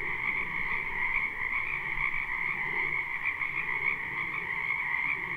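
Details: Frogs in a spring wetland near a home, live recording: a constant shimmering chorus of countless overlapping callers, high trilling tones holding steady throughout, with faint lower croaks murmuring underneath.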